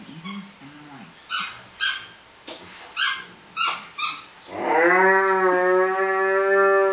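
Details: Pet dog named Cerberus vocalizing indoors while playing with his toys: a run of sharp squeaky bursts, then a drawn-out, steady, low harmonic moan lasting over two seconds.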